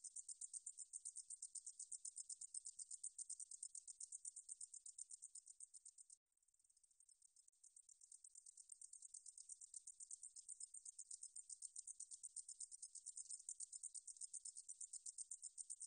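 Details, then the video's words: Meadow katydid song, National Institute of Biological Resources recording from 2020: a sustained high, dry buzzing trill of quick pulses that drops out briefly partway through, then resumes and builds back to full strength. "등줄어리쌕쌔기, 여러번 듣기, 곤충소리"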